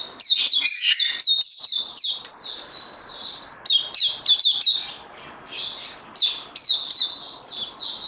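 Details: Puteh (white-eye) singing during training after Covid-19 on 18 May 2020. Clusters of high, quick chipping and sweet slurred notes come in bursts separated by short softer gaps.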